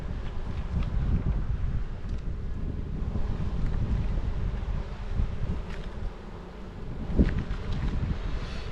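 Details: Steady wind rumble buffets the microphone, with faint rustling and no clear animal sound.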